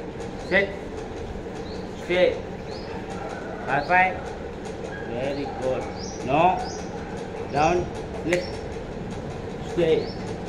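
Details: Beagle puppy during a training session, giving short sharp barks roughly every one to two seconds, about seven in all, over a steady background hum with some human voice.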